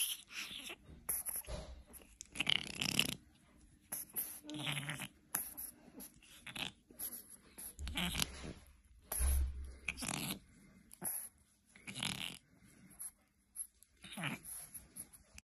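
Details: A Boston Terrier snorts and grunts in short, breathy bursts, with quiet pauses between them, during its morning wake-up.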